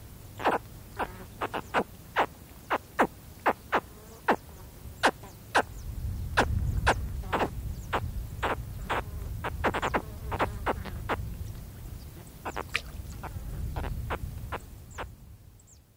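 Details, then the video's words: Baby spectacled caiman contact calling close up: a long run of short, bright chirps at roughly one a second, evenly spaced at first and then crowding together, while a low rumble of wind rises in the background. "Spectacled Caiman / CU Contact Calls From Baby Caiman"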